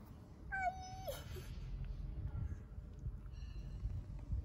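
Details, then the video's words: Homeless stray kitten in Istanbul needing love and food gives one clear, high, harmonic meow ending in a downward slide, then a fainter short mew later, over low background rumble and a person speaking Turkish. "Homeless kitten needs love and food"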